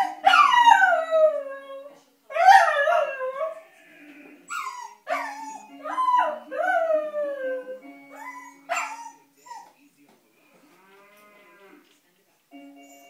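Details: A female Cocker Spaniel puppy howls in long, wavering, falling notes over sustained piano tones, apparently unhappy about the piano music.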